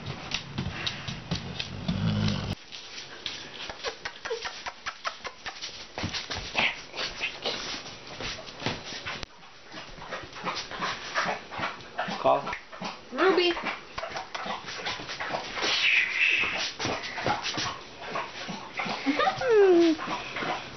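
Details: Two-month-old Dogue de Bordeaux (French Mastiff) puppy on her first night at home, indoors with an older bulldog nearby; soft high whimpers and whines scattered through, with rustling, handling noises and a rising squeal near the end.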